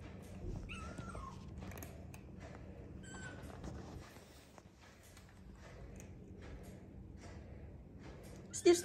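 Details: Indoor kittens give a thin falling mew early on, followed by a few faint short squeaks, then long quiet room hum that ends in a sudden loud clatter.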